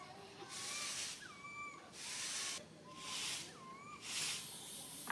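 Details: Fearful cries from a lone baby monkey stranded on a high tree and calling its mother: clear whistled notes, some rising then dipping, sound against loud hissing surges that swell roughly every second.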